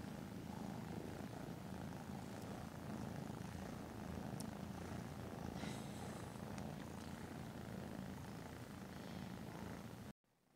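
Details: Nursing kittens and their tuxedo mother Caroline, a rescue in Huntsville, Alabama: a continuous, fast, throaty purr with faint clicks and rustles, ending abruptly.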